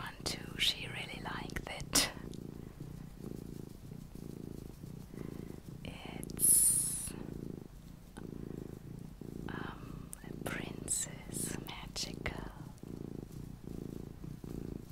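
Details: Steady low purr from a small pet cat in a quiet room, rumbling in regular breaths, overlaid by soft whispering and occasional clicks and rustles.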